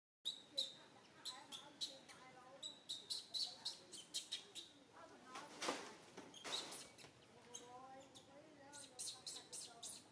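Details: Little monkey Santo, a baby, crying in a bad mood while its mother Sara ignores it; repeated sharp high-pitched bursts come in quick, uneven runs, with fainter wavering lower tones between them.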